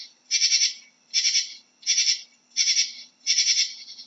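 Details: Katydid giving five evenly spaced rasping bursts, each a dry, buzzy scrape of about a third of a second, repeated at a steady rhythm of roughly one every three quarters of a second.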